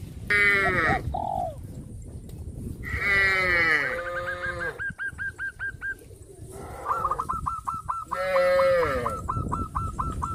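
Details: Cows of a traditional village farm herd on their way to the green grass fields. Three full, harmonic moos are spread over the scene, with long runs of quick, repeated bird chirps between them.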